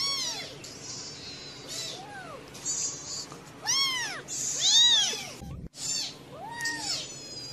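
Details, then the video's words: Mother cat tending her kittens on day four, patiently guarding and protecting them; a run of thin, bowed mews, roughly one per second, some stacked together, with a brief silent break near the end. "INDUK KUCING MERAWAT BAYINYA"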